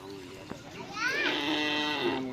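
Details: Cattle during bull race (karapan sapi) practice at the Bluto field, Sumenep. A drawn-out moo of just over a second starts with a brief rising sweep, then holds a strained, bright tone amid people talking outdoors.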